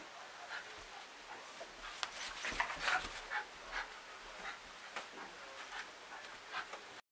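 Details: A Jack Russell Terrier wrestling a stuffed tiger, puffing out quick rough huffs and small growls in a fast uneven series, loudest near the middle, then tapering into lighter snorts.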